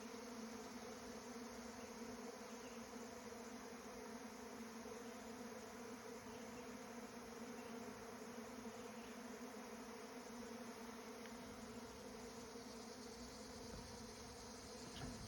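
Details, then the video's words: Swarm of bees giving a steady, dense droning hum with layered low tones, unchanging throughout, no other clear sounds. "Bee swarm"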